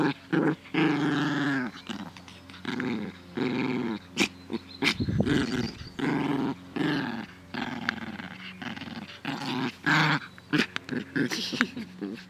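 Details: Dog playing happily in a garden on 17 May 2014 in good weather; bursts of rough, low growling repeated throughout, broken by sharp clicks and thumps.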